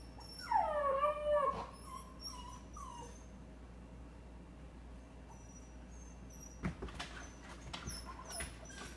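A dog gives a wavering, high-pitched whine that slides up and down, then falls quiet.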